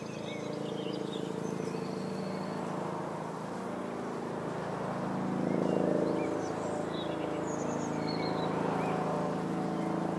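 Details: Red-tailed bumblebee at blue-flowered California lilac (Ceanothus thyrsiflorus 'Italian Skies') shrub. Steady low droning buzz with stacked harmonic tones, swelling near the middle; faint high bird chirps and whistles sound in the background.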